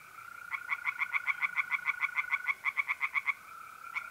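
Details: Pond tree frog at night, mid-April, north-eastern Italy, giving a quick series of about twenty evenly spaced nasal pulses lasting three seconds, with the continuous even trill of mole crickets running underneath.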